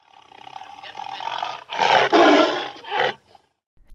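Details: Tiger roaring: a low rumbling growl swells into a loud, harsh, broadband roar lasting about a second and a half, followed by a shorter rasping burst before it falls silent.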